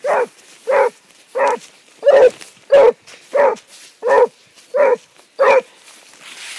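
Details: A Basset Hound on the track gives a steady series of deep, resonant barks, roughly one every two-thirds of a second.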